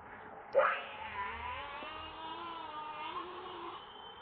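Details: Hungry baby monkey Leo crying for its mother's milk: a sharp onset, then a sustained harmonic wail that wavers gently and slowly fades over four seconds, with constant low hiss behind.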